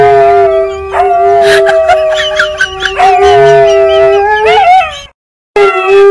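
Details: An adult Siberian Husky teaching a puppy to howl: long, wavering tones, with a higher voice weaving over a steady lower one.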